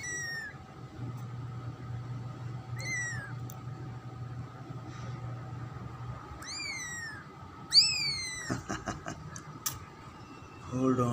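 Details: Pet cat's second new kitten, black, orange and white, mewing repeatedly: four high, falling squeaks spaced unevenly, followed by clattering handling noises and a low hum.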